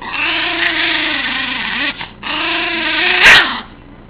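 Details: Cairn Terrier giving its classic snarl while being tickled, a zany reaction: a harsh, raspy, continuous snarl of about two seconds, a brief break, then a second long snarl, with a sharp clatter near the end.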